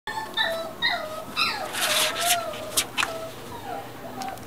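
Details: American Cocker Spaniel at a pet shop in Shizuoka, Japan, giving high, thin whining whimpers that rise and fall in short repeated bursts, with brief sharp clicks and background shop noise and voices.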